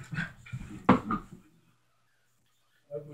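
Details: Tito, a pet dog, at play indoors in a small room, gives low growly grumbles and then one sharp bark-like yelp near the one-second mark, followed by a pause and a person's voice at the end.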